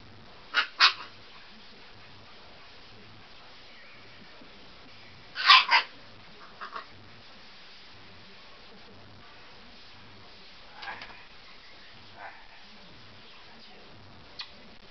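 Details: Siberian Husky puppy named Fiona playing on a bed before bedtime; short, sharp barks come in quick pairs near the start and again mid-way, followed by a few fainter yips against a quiet indoor background.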